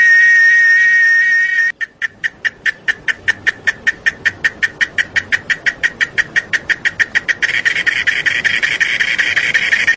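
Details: Chiapas cicadas: a shrill continuous drone cuts off abruptly. About thirty evenly spaced buzzy pulses follow, roughly three per second. Then the dense, high-pitched drone swells back.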